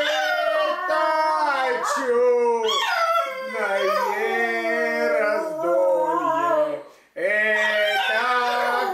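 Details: A dog sings along with the Russian song "Вижу дивные раздолья" as a person sings. Drawn-out, bending howls swoop upward, then sag, with a brief silent gap near the end.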